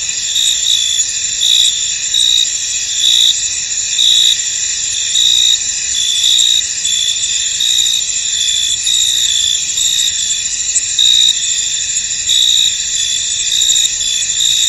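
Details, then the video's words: Chorus of crickets in a fog-covered field, a dense high ringing hum overlaid by short repeated shrill chirps that continue without pause. "Tranquil Cricket Sounds In An Misty Field"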